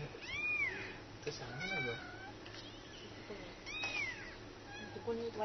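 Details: Kitten that cannot climb down meows to its mother cat, which then arrives; two high, arching, rising-then-falling meows about three and a half seconds apart, with quieter murmuring and faint background hum between them.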